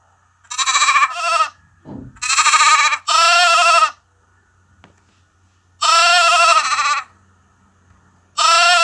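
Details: Lamb bleating in high, harmonic-rich baas, short bursts in pairs with gaps between, each with a fast tremulous quaver, over a faint low hum.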